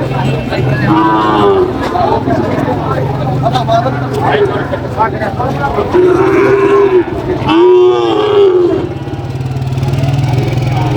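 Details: Sahiwal bull at a cattle market in Barishal, Bangladesh: a few drawn-out low moos around one, six and eight seconds, over constant crowd chatter, men talking and bargaining, and a low engine hum.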